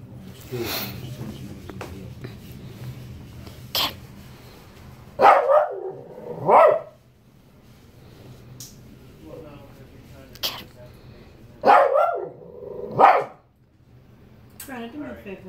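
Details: Shih Tzu barking to demand fruit after getting mad: loose groups of sharp, harsh barks near five to seven and twelve to thirteen seconds, with Spanish speech and laughter between them indoors.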